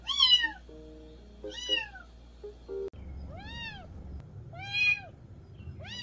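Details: Mountain-village kitten meowing, the sound offered to drive off country rats: four arched, rising-then-falling meows over a low steady hum, with a few faint tonal clicks between the first two calls.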